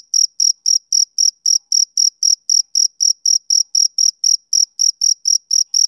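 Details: A male cricket chirps through a summer evening, each shrill note short and crisp, about four per second in a regular pulse with nothing else audible.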